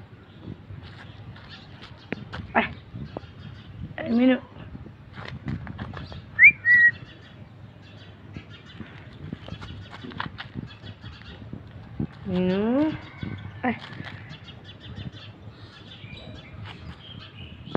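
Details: A cat named Minu, one of three found sleeping along a roadside one morning, gives two drawn-out wavering meows about eight seconds apart, while a person talks and calls to it throughout.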